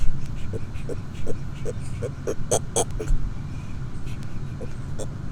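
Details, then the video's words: Pet red-footed tortoise honking loudly: a string of short, hollow honking clucks, roughly two to three per second, growing louder toward the middle and then easing off, over a low background hum. "The Amazing Honking Tortoise!"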